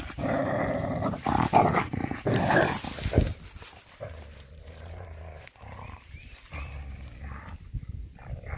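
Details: Coyote named Scooter grabbing a glove after being spooked, recorded May 13, 2021: a harsh, rough, rumbling growl fills the first three seconds, followed by quieter low rumbling and faint handling noise.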